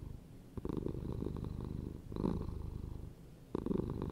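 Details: Domestic cat purring steadily: low, rumbling pulsed drone that swells and fades in alternating breaths, with louder stretches starting near one, two and three and a half seconds, indoors with no other sounds.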